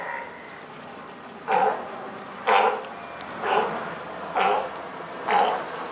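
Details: California sea lion mother and newborn pup, Higashiyama Zoo, Wednesday June 28, 2023; a regular series of five rough, honking barks about one second apart over low background noise.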